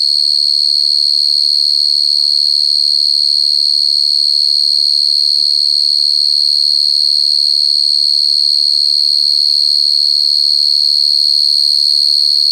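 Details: Cricket singing loud and very clear, a steady high pure tone pulsing in rapid, even chirps about three per second throughout, with faint scattered low murmurs in the background.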